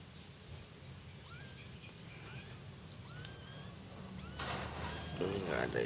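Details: Persian cat kittens, still nursing, with their mother: thin, high mews that rise then fall, several spaced through the first four seconds over a low hum, followed by rustling noise and a voice.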